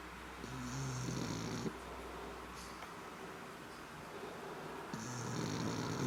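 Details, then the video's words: A black pug snores in two long, rough inhalations over a second each, a low vibrating rattle with breathy hiss on top, separated by a quiet pause of about three seconds. "Schwarzer Mops schnarcht"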